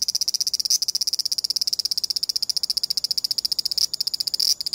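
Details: Large brown cicada making its chopped "gi-gi-gi" song, the version heard while it moves, filmed with a compact camera. Fast, harsh, high-pitched pulses come about ten per second, with a few louder bursts.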